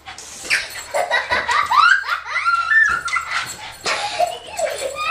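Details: A Boston Terrier gives a run of high, rising whines and yelps in quick succession, wildly excited while playing with balloons; Boston Terrier.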